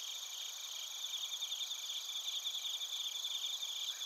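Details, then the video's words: Crickets, including bell crickets, sing together in Narita, Chiba, Japan, captured with a TASCAM Portacapture X8: unbroken high trilling in layered bands, a lower voice chirping in quick steady pulses. "スズムシとコオロギの鳴き声 - Chirping of crickets"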